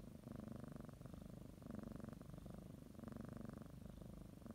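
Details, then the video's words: House cat kneading a blanket and getting ready for a morning nap, purring in a low, even rumble that swells and eases in breath-length cycles of roughly one to one and a half seconds. "Sometimes you just need to listen to a kitty purr"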